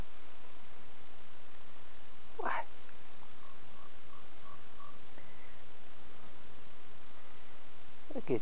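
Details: Henry, an outdoor pet cat, gives two short rising meows several seconds apart, each a brief bright upward sweep, with low rumbling background noise and people talking nearby.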